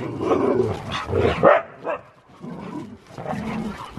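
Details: Husky grumbling during a playful wrestle: muffled throaty growls with one sharper yelp near the middle, then softer rumbling.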